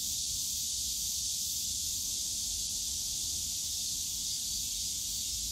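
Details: Continuous buzzing of cicadas in a bamboo grove at Yongsan Family Park in summer, a flat sizzling high drone with no pauses, soft distant rumble beneath.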